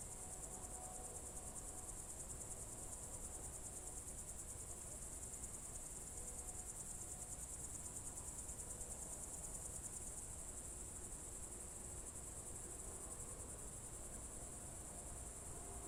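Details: Crickets singing on a summer evening, June 2023, Novye Buregi tract, Novgorod Oblast: an even, high, buzzing pulsed trill sustained for the whole stretch, faint scattered tones and low rumble underneath.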